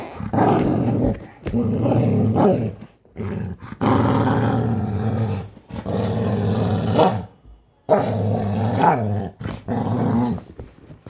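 A Labrador Retriever gives deep, throaty growls that swell into roar-like rumbles, each lasting a second or more. The growls come in several long bursts with short quiet gaps between them.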